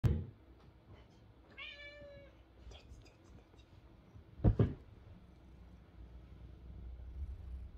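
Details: Lynx point Siamese cat purring loudly while being brushed and trying to bite the brush: a steady low rumbling purr throughout, interrupted by one brief, clear, harmonic meow and a single knocking thump.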